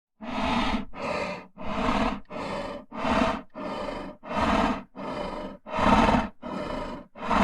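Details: Lion breathing and growling in a steady rhythm: about ten deep, rasping huffs in seven and a half seconds, each around half a second long, separated by short quiet gaps.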